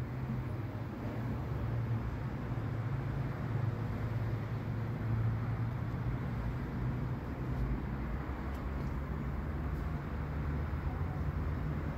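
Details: Steady low roaring vehicle or traffic noise rumbles throughout, with no animal sounds audible.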